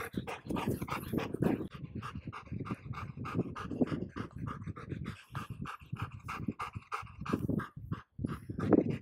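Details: Two reunited childhood friends, a Golden Retriever and a Border Collie, breathe hard and excitedly. Steady, rapid, rasping pants continue through most of the stretch and pause briefly near the end.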